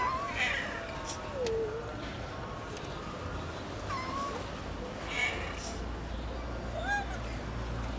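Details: Stray cat in Istanbul waiting for breakfast alongside other cats; several short, rising and falling meows spaced a second or two apart, fairly faint over steady low rumbling street noise.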